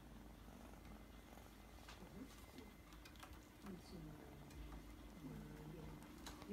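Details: Kitten purring quietly as its forehead is stroked, a soft, low, steady rumble with a few faint, brief chirping tones near the end, recorded close up in a quiet room.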